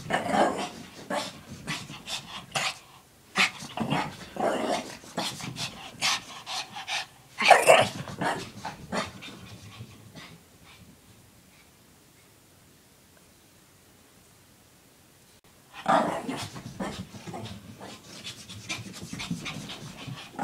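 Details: Lacey, a pet Shih Tzu, playing goofily with a pink puppy blanket and doing zoomies; quick rough panting puffs with some harsher bursts, a near-silent pause of about six seconds, then panting starts again.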